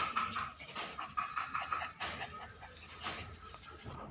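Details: A dog panting indoors: soft, breathy bursts of air, a few seconds apart, with a faint steady background hum.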